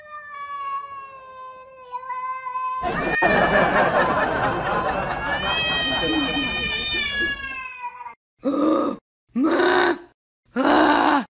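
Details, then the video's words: Kitten giving a long, steady, slightly falling meow, followed by loud rustling or voice noise and three sharp bursts of noise. "Baby Cats - ☺️ Cute and Funny Cat Videos Compilation"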